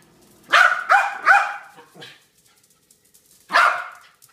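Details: Harry the dog barks in a burst of four sharp, loud barks in quick succession, the last one trailing off, then a short pause before a single final bark; quiet room otherwise.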